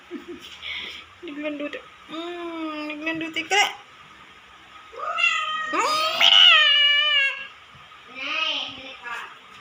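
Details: A naughty cat making repeated meows: short, level calls first, then a long, drawn-out wavering yowl that rises and falls, ending with a shorter meow.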